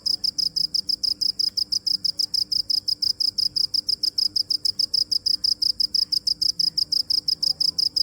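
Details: Cricket chirping steadily: rapid, evenly spaced high-pitched pulses, about six per second, continuing without pause over a quiet background with a faint low hum.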